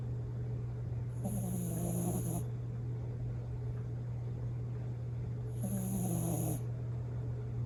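A Bichon Frise snores in two slow, rasping breaths, each with a faint whistling edge.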